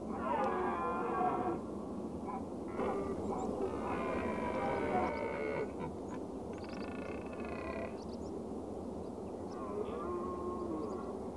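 Red deer give drawn-out, nasal, moaning calls that overlap one another above a steady low rumble.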